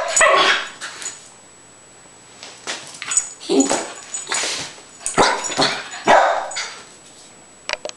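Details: Spike the rat terrier, jumping and performing for a camera, lets out repeated loud barks in uneven bursts, some doubled, separated by brief quieter gaps.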